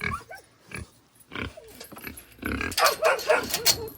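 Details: Pigs in their pen grunt and squeal in rough, irregular bursts as their owner comes in to give them water. The noisy calls grow louder and denser toward the end, mixed with the owner's voice and handling sounds.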